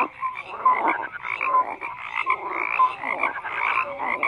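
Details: Brief stretch of frogs croaking together, rough calls overlapping with a few short clear piping notes.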